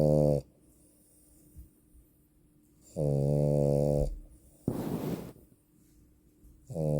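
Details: Snoring female French Bulldog: long, resonant, buzzy inhaled snores about three seconds apart, with a short, breathy, noisy exhale between them.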